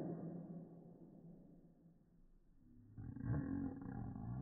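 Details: A female Pekingese, filmed in slow motion, gives a low, rumbling bark that swells into a rough, roar-like burst, said to resemble a monkey, cow and lion.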